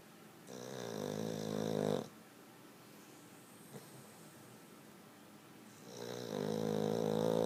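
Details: Sleeping Boston Terrier giving two long, throaty snores, each rising and swelling over about one and a half seconds, with a quiet gap of about four seconds between them.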